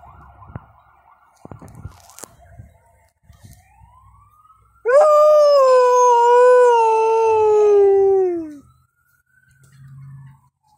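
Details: A female Alaskan Malamute gives one long, rich howl that slowly slides downward, set off by a passing ambulance siren after she had been barking at other dogs.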